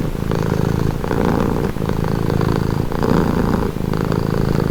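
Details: Close, loud cat purr: a deep vibrating rumble broken into breath cycles about every second and a half, each inhale brightening the tone briefly.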